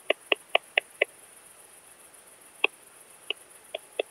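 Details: Eastern saw bush-cricket (Barbitistes constrictus) picked up through a Pettersson D 100 ultrasound detector at Kleinziegenfeld, Germany, on 12 August 2021. A quick run of five sharp clicks is followed by scattered single ticks, over a steady high detector hiss.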